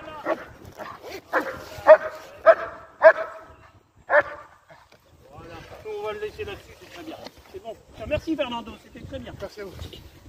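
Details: German Shepherd during IGP competition training, giving a run of sharp, loud barks about half a second apart over the first four seconds, followed by a man talking, with quieter barking and voices underneath.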